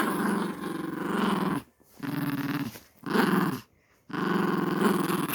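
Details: A family's pet dog growls in four long, rough, throaty bouts, each lasting roughly one to one and a half seconds. Short silent gaps separate the bouts, and the low rumble has a steady pulsing texture.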